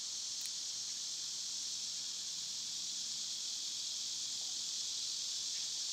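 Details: Loud cicadas on a summer day keep up a continuous shrill, hissing buzz, broken only by a sharp click just before the first second and a faint tick later.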